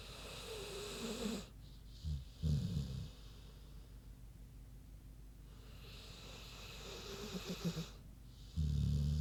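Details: Sleeping pig named Queenie snoozing: low guttural snorts and rumbles broken by drawn-out breathy whooshing inhalations, a slow irregular rhythm of snore and breath over about nine seconds.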